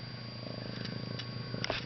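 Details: Ragdoll kitten purring indoors: a steady low rumbling purr with fine pulsed texture, a constant electrical hum underneath, brief clicks and a woman's voice speaking Czech close by.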